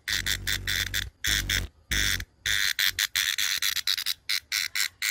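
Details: Brown cicada calling in loud, harsh buzzing bursts, each about half a second to a second long, broken by short gaps, with a low rumbling hum under the first few bursts.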